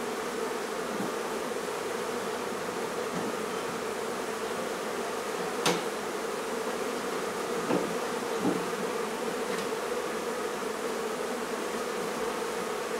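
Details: Colony of honey bees droning continuously during removal of their hive from a barn in La Feria, Texas, in the midday sun; an even, unbroken hum with a few sharp clicks and taps over it.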